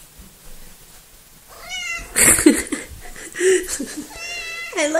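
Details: Coco, the smallest and most talkative cat of the household, gives a wavering meow. Then come busy mixed vocal sounds with bursts of noise, and at the end she makes a rising, curling meow.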